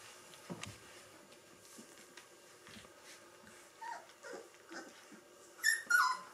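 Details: Three-week-old Gordon Setter puppies of one litter during a cuddle session indoors; soft, thin whimpers and squeaks scattered throughout, ending in two louder high yelps near the end.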